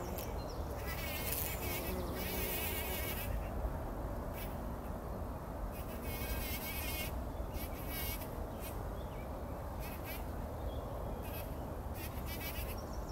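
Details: Bumblebees working poppy flowers at first light before sunrise, taking a pollen bath in 2019; a constant low buzz underlies repeated bursts of trilling birdsong throughout.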